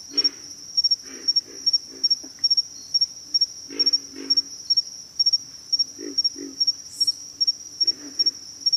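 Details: Low pig frog grunts come in uneven bursts, each a brief hoarse croak, spaced irregularly. A constant shrill insect whine runs beneath, with one brief higher chirp near the end.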